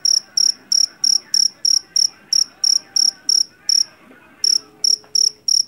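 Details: Jangkrik jeliteng, a Javan field cricket taken from paddy fields, gives piercing high chirps about three per second, pausing briefly near the middle before resuming, over a soft low hum and a faint steady tone.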